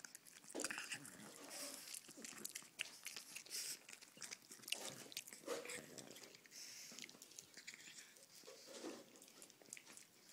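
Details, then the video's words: Pug named Arenita eating sweets indoors, treats she loves; crisp crunching and biting noises come as irregular sharp clicks and smacks throughout, with faint talking in the background. "Pug arenita comiendo dulce"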